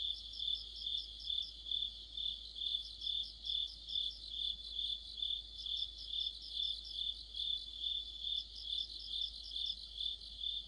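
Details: Deepening autumn sounds: crickets and insect friends sing as one chorus by a streetlight, a sustained high trill pulsing evenly in waves, with bursts of rapid chirps from additional callers.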